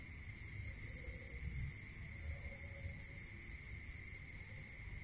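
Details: Rural nighttime crickets: one long, even train of rapid high-pitched pulses fills almost the whole stretch, laid over an unbroken shrill ringing and a steady lower drone.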